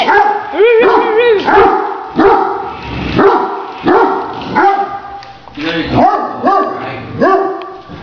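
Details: Great Danes at play with a remote-controlled toy tarantula give a quick series of strong, ringing barks, slightly rising then falling, close together throughout, with occasional human speech.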